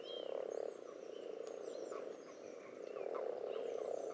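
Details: Common toads spawning in a garden pond among several other frog species, with spawn clumps and strings present; a dense, continuous chorus of low, pulsing croaks swells and fades, while birds whistle faintly overhead.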